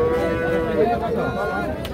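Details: Cow at the Ambari cattle market in Parbatipur, Dinajpur, where cows with calves are sold, 13 June 2025; a sustained low, drawn-out moo lasting about two seconds while buyers and sellers talk nearby.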